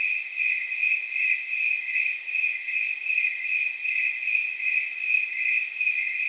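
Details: On a night of roughly 79 degrees, snowy tree crickets chirp in a regular, bell-like rhythm, near two and a half chirps each second, forming a continuous high chorus with no other sounds.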